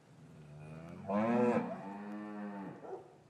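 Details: Cattle in a traditional English farm yard, winter afternoon, calves separated from their mothers; a faint low moo builds into a loud, strongly harmonic call that holds steady before tailing off, with a brief soft sound after.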